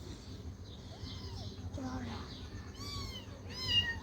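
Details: Hungry baby cat, a tiny white kitten drinking milk from a bottle, mews several times: short arched cries, the last two higher and sharper, with faint voices and handling noise around.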